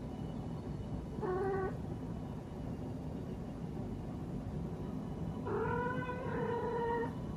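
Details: A female Munchkin cat gives two drawn-out, tonal meows to call for attention over a low background rumble.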